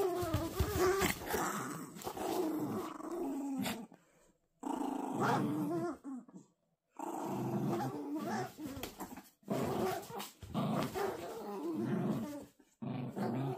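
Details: Playful growling from Toy Poodle puppies in a tug-of-war game, low rough rumbles in uneven bursts with short quiet gaps, some higher whining tones and rustling mixed in.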